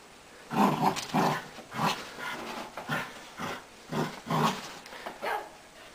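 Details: Tug-of-war between a tiny beagle and a wheaten terrier: gruff, low barks mixed with growls, roughly eight bursts in six seconds.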